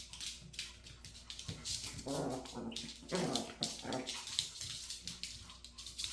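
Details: A Maltese chasing and biting at its own tail lets out grumbling, harmonic growls in the middle of the clip, mixed with busy scratching and rustling sounds.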